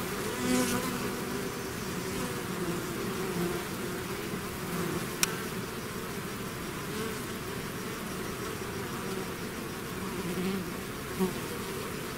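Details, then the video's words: Swarming bees out of the hive fill the air with a constant low buzz; single insects flying close give brief louder whines, and a sharp click sounds midway. "bees therapy swarm natural buzzing sound"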